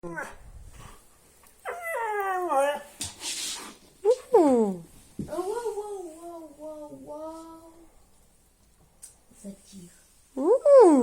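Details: Siberian Husky howling indoors to wake its owner in the morning, acting sad: a series of wavering, yodelling howls with sliding and falling tones, broken by pauses and short noises, ending in a sudden loud rising cry.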